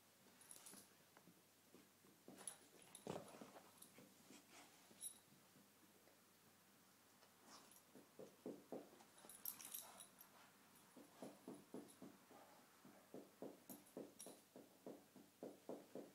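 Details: Two cocker spaniels play fighting in the morning indoors: rough, rapid pulsed growling in quick bursts, building into a steady train of short growls in the second half, with scuffling noises between.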